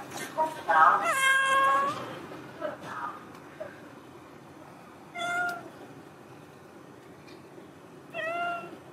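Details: A big yellow cat waiting outside at the door meows repeatedly: a long, loud harmonic meow near the start, then two shorter rising-falling meows around five and eight seconds, with faint background noise between.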